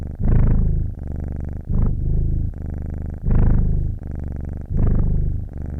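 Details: Domestic cat purring with audible breathing: low, steady rumbling purr in long pulses, each inhale and exhale swelling louder, roughly one cycle every one and a half seconds, with a faint hum between breaths.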